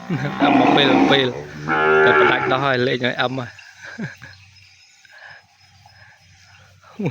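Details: Weaned calf kept apart from its mother in a pen bawls for her: two long, loud moos over the first three seconds, then quieter snorts and breathing.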